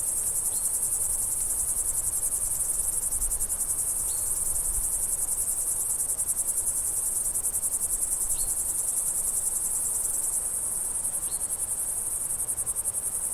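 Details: Crickets chirping in summer countryside ambience, an unbroken high pulsing trill with occasional faint, short bird whistles and a low rumbling background.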